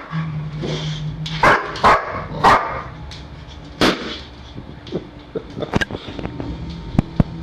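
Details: Dog at home, excited while chasing balloons around the house, gives a quick run of sharp barks early on and one more later, over a steady low hum and scattered clicks and knocks.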